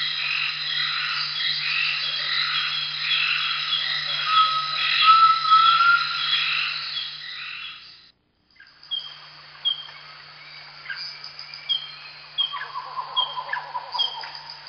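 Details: A wild pygmy marmoset on a sap-holed tree in the Upper Amazon lowlands gives very high, thin chirps and short trills in a busy chatter, then sparser sharp squeaks over a faint low electrical hum.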